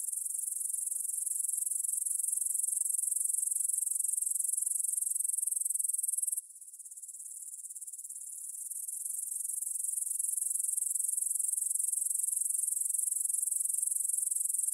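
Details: Evening meadow chorus of grasshoppers near Svensky monastery, Bryansk, Russia, at 9pm, 6 September 2020, on a Tascam DR-44WL recorder; continuous high shrill trilling that drops briefly in loudness midway, then swells back to full strength.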